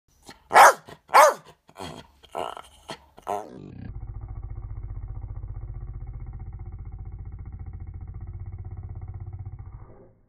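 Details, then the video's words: West Highland White Terrier giving a handful of sharp, loud barks, then shifting into a long, low, rattling growl-like roar pulsing steadily for about six seconds before stopping. "Roaring Westie"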